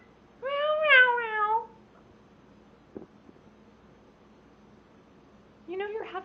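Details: Male house cat making loud noises while mating with a stuffed toy: one long yowl that bends downward, then a quiet stretch with faint clicks, and another rising yowl starting at the end.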